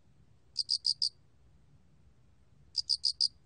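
A cricket sings in tidy phrases of four quick, pure, high-pitched chirps. The groups repeat after roughly two seconds of silence, with only a faint low hum in the background.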